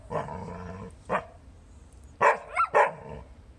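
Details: Dog vocalizing on 20 April 2018 while Alvie chats with a Chow Chow: a drawn-out harmonic moan opens, then a short yelp, then after a pause two sharp barks with a brief squeak between them.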